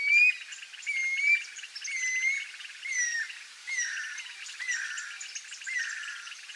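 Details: A toad gives clear whistled notes, each slurring downward, about once a second, over a steady pulsing chorus of other callers around a rural marsh pond, said to be calling for rain in the summer breeding season.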